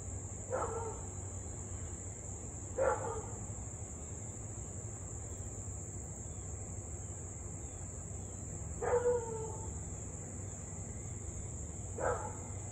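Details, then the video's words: Barking Siberian Husky heard from a distance near Louisville, evening of 8/3/2021, in a nearly half-hour bout of barking and howling: four barks at uneven gaps of two to six seconds over a steady insect drone. "Husky to barking and Howling nearly 30 mins straight."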